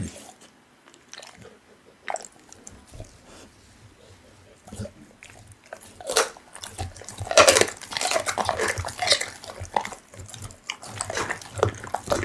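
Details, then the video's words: Pit bull eating raw meat indoors: soft, sparse biting clicks at first, then from about six seconds louder, dense wet crunching and tearing bursts of chewing, each bite a sharp broadband snap, in a small quiet room. "Pitbull eating raw meat Asmr"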